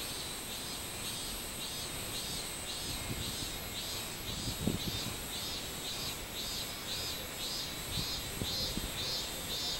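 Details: Robust cicada singing on 24 July 2016: a steady series of arched, buzzy pulses repeating about twice per second, with a constant high insect drone running underneath and faint low rumbling background noise.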